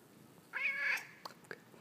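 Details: Domestic male cat known for chatting with his humans gives one clear, slightly nasal meow, level then falling, indoors, followed by two faint soft clicks.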